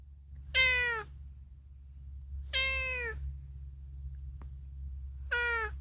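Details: Unagi, a talkative rescued pet cat in a small room, meows three times, each a clear harmonic call about half a second long that falls slightly in pitch, spaced about two seconds apart; many of his calls are about food.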